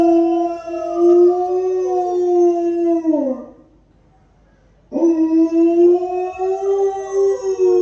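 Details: Alaskan Malamute named Honey howling like a wolf in reply to a played wolf howl: a long steady mid-pitched howl sliding down at the end, a short silence, then a second sustained howl rising back in with slight wavering.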